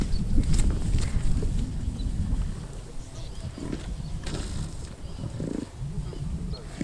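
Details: Lions killing a wildebeest in and around Kruger National Park, South Africa, filmed on a game drive; deep rumbling growls, loudest in the first second, then softer low grumbling throughout, with faint voices and vehicle hum.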